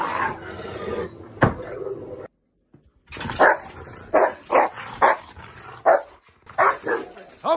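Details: A male pet Rottweiler, known for growling, reacts as his owner tries to show him who is alpha. Rough vocal noise gives way to a silent gap, then a run of short, sharp bark-like bursts about every half second, with speech mixed in.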